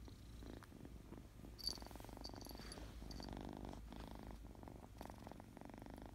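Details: Happy, playful kitten purring, a low continuous rumble with pulsed texture that briefly breaks between breaths, plus a faint sharp click and soft high ticks.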